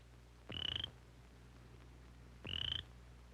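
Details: A male cricket frog in spring gives short, high, rasping croaks about two seconds apart, produced through its vocal sac, a mating call to attract a female of the same species.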